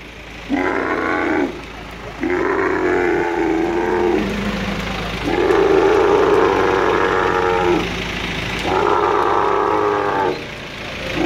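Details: At the Al Ain Camel Market in the UAE on 21 March 2017, an angry male dromedary lifted by crane lets out a series of five gurgling, moaning roars, the middle one longest, with short breaks between.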